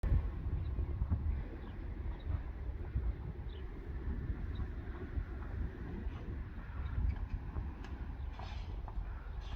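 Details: Steady low rumble of wind buffeting the microphone outdoors, with a faint vehicle-like drone and no animal voice standing out.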